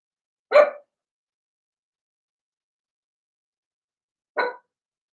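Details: Blenheim Cavalier King Charles Spaniel puppies from a litter of six in a home puppy pen, potty training underway; two loud, abrupt puppy barks nearly four seconds apart against silence.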